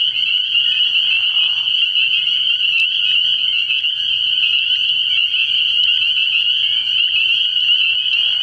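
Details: Massed spring peepers at a pond after dark early in the year, their shrill overlapping peeps forming a continuous high ringing, with a short lower buzzy call at the start.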